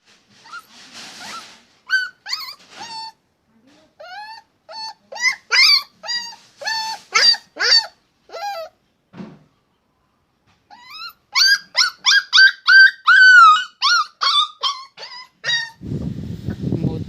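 A puppy lets out quick, high-pitched yips and whiny barks in uneven bursts.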